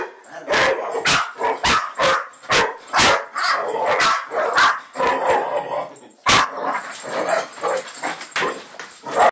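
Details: Bracco dog giving a rapid volley of sharp, harsh barks, several per second, with short gaps and a brief pause partway through.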